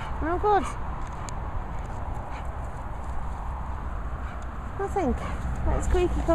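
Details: Playful chase invitation between two dogs, Peppa the Bichon and Bailey the English Bull Terrier. A quick pair of bright, rising-falling yips opens, then quiet, then a cluster of three more sliding yips near the end over steady background hiss.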